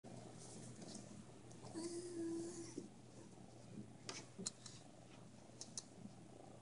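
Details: Loki, a pet cat who loves the camera, purring quietly: a soft, steady low rumble with rapid pulsing throughout, a brief thin tonal whine near the middle and a few light clicks toward the end.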